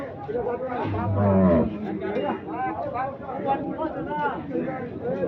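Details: A bull for sale before Qurbani at the weekly Saturday Kaharol cattle market in fierce heat: one deep, drawn-out moo near the start, over constant crowd chatter and voices.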